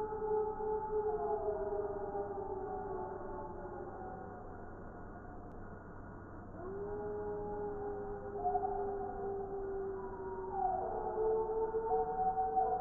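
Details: Several wild gray wolves howling together in Wisconsin in December 2019; long smooth overlapping howls at different pitches, some steady, some sliding down or rising, one voice entering midway with a rising swoop.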